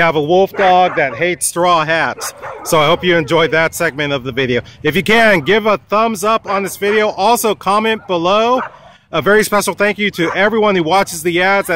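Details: Wolfdog at a dog park, threatening a man with a long, nearly continuous stream of rapid, wavering, arched yowls and grumbles, pausing only briefly around the middle before resuming just as intensely.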